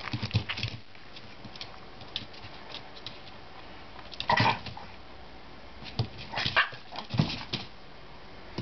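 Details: A Chihuahua gives short, sharp warning barks and snaps in scattered bursts, scolding a pestering Jack Russell puppy that keeps bothering it and won't learn: Chihuahua (Canis lupus familiaris), warning barks.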